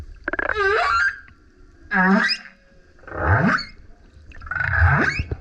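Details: Four rapid humpback whale song units from a male singing beside a kayak: a wavering whoop, a short grunt, and two rising burp-like howls sweeping upward, roughly one every second and a half.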